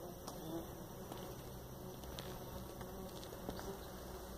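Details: Jataí-da-terra stingless bee (Paratrigona subnuda) gives a low, steady buzzing hum, soft and continuous throughout.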